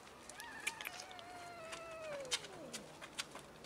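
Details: Cat from a large colony living by a dumpster and feeding from it: one long drawn-out meow that holds fairly level, then slides steadily downward over about two seconds, with scattered taps and clicks around it.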